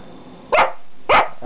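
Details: Household dog, one of two named Gwenny and Rhett, indoors while being told to shake and do tricks, giving two loud sharp barks about half a second apart, over a steady low hum.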